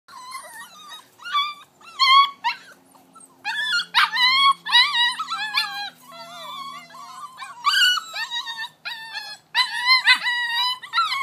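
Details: Vizsla puppy, six weeks old, climbing an exercise pen: high whimpering whines and yelps in quick bursts, each cry with a bent, wavering pitch and bright upper harmonics, separated by short silences, repeated throughout.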